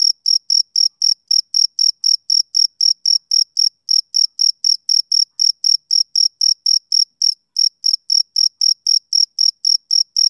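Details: High, bright chirps of a male cricket on a summer evening come in a long regular series, about four per second, broken once by a short pause; no other noise.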